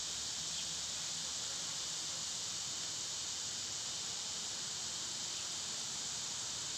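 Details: A softer, steady high-pitched hiss of summer cicadas runs unbroken throughout, with a faint low hum beneath.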